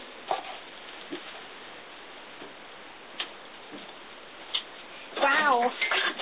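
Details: A house cat that had been left home alone indoors, giving one short wavering meow near the end after several seconds of faint taps and room noise.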